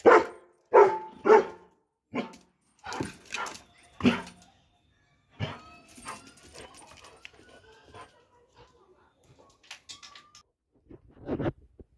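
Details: Doberman giving sharp, loud barks in a quick run, about eight in the first six seconds, then thin high whining tones trailing off before one last bark near the end.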